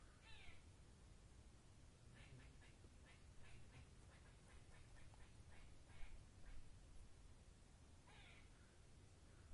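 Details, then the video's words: Squirrel in woodland making a quick run of dry, ticking chatter notes between two harsher rasping calls, all fairly distant within a noisy forest background. "Forest With Squirrel SOUND Effect"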